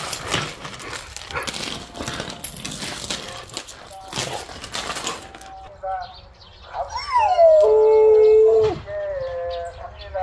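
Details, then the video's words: A yellow Jindo dog howling, said to break off mid-howl: after several seconds of a woman talking, a loud tonal howl with rich harmonics slides down, holds a steady pitch for about a second, then stops abruptly. "하울링을 하다가 고장이 난 진돗개"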